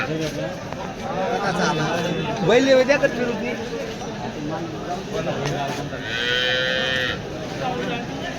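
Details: Cattle at the Varkhedi cow market, 10 July 2025: two drawn-out, harmonic-rich moos, one wavering mid-clip and a steadier one near the end, over constant crowd chatter and a man talking.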